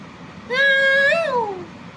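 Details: A house cat at bedtime, when the kittens stir near 11 pm and are coaxed to play, lets out a single long, steady meow that lifts slightly then slides downward as it fades, over faint room noise.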